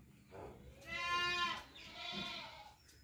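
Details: Goat bleating: one drawn-out, wavering, nasal bleat of about a second, then a fainter, shorter second bleat over a low background hiss.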